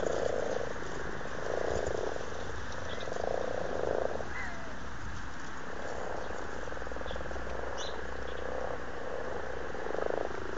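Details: Frogs in a February 2012 pond in Blarney, County Cork, Ireland, amorous in the breeding season, produce repeated low grating purrs in short bursts about every one to two seconds over a steady watery hiss.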